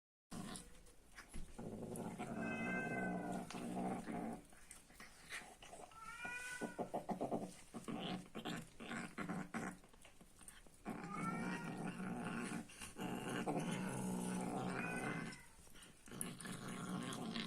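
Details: Angry domestic cat growling while eating food indoors, a continuous low rumbling growl broken by several rising-falling yowls in four bursts, with brief pauses between them.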